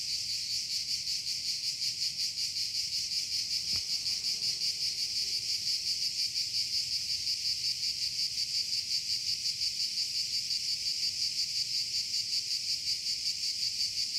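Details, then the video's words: Cicada producing a strong, sustained high buzz that pulses evenly at nearly three beats per second, very regular throughout, with one sharp click early on and little else audible. "THE SOUND OF TSITSIKAS"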